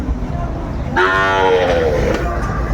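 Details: At a Brahmanbaria cattle market on 31 May 2024, a Sahiwal bull lows once, a falling, harmonic moo of about one second, set against steady market murmur and an auctioneer's voice.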